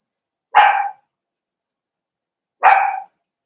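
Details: {'caption': 'Two rough, half-second barks spaced two seconds apart from Cavalier King Charles Spaniels in an indoor puppy pen, where 4-week-old puppies meet other household dogs.'}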